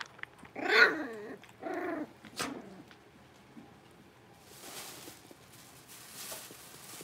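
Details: Six-week-old blenheim Cavalier King Charles Spaniel puppies, a litter of five indoors in a puppy pen, give two loud harmonic yelping barks close together, then a brief sharp yip, followed by quiet rustling and faint shuffling.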